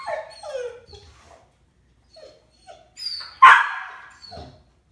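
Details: Rescue dog reacting to squirrel footage on TV: descending whimpers at the start, scattered short yips, then one loud sharp bark followed by fading noise.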